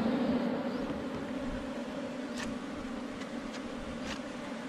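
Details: Honey bees swarming around a beehive found under rocks in the forest during wild honey collection: an even, sustained drone of many wings, a low hum layered with a higher harmonic, over soft background rustling and a few faint ticks.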